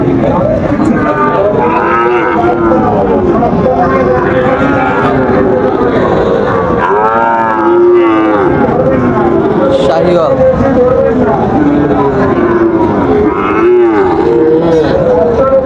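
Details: Crowded Raniganj market in Dinajpur on 30 September 2024, where Sahiwal bull calves are being sold as trading begins: repeated overlapping moos, some arching up and down, over continuous human talk.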